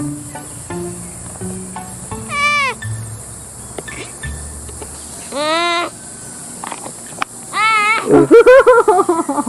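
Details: Sloth giving three loud, bent, nasal squeals a couple of seconds apart, ending in a rougher wavering series of pulsed cries; low sustained tones and a few clicks sit underneath.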